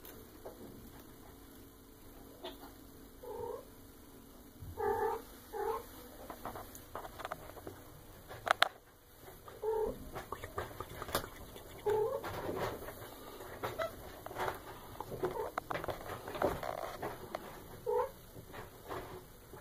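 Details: Young female Maine Coon, eight and a half months old, at home while being fed, repeating brief clipped meows every one to three seconds, some doubled, over handling rustles and soft background noise.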